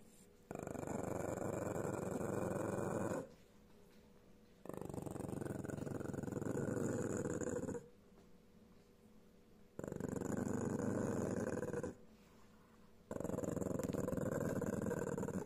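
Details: Pekingese. Four sustained, gravelly growls come from a Pekingese, each bout rumbling steadily for two to three seconds before a brief pause. The dog is warning others away from its food.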